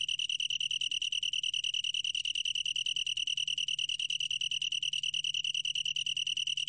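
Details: A long-tailed tree cricket, recorded for the National Institute of Biological Resources in 2020, gives a clear, sustained, pulsing trill, high and pure, each pulse crisply separated, with a faint low drone underneath.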